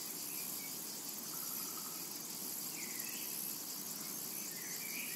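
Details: In a summer meadow, cicadas keep up an unbroken, sizzling high drone, while soft rising bird chirps slip in faintly near the end.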